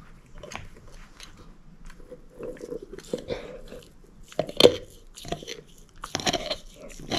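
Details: Moose, a shepherd mix dog, crunching a bone: sharp cracking bites with bright, gritty texture, a loud crack past the midpoint and a burst of crunches near the end, softer grinding chews in between.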